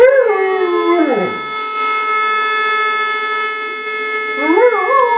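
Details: A German Shepherd howling: long, steady, tonal howls that slide down at the end of one and rise again into the next, with a constant faint hum underneath.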